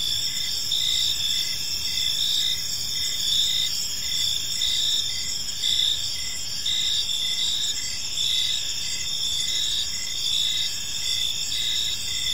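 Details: Park crickets at evening chirp together: high sustained trilling bands stacked over a rapidly repeating pulsed chirp, the level nearly constant across the stretch, with low ambient noise.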